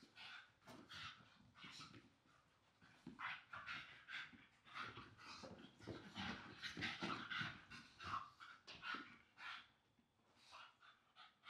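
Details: Staffordshire Bull Terrier siblings tumbling and wrestling on a soft blanket; dense rapid panting and snuffling bursts, busiest in the middle stretch, then thinning out.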